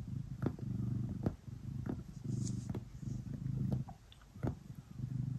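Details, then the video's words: Pet cat kneading and purring at bedtime: low continuous purr in rhythmic rumbling bursts, pausing briefly between breaths, with sharp ticking sounds of paws working on fabric. "Cat kneading and purring before bedtime"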